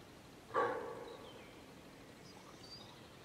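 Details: Deer hind calling for her calf after a sounder of wild boar came between them and the sows mock-charged the calf; one short, loud, harsh bark-like call with a low, rich tone, followed by quiet background with faint distant sounds.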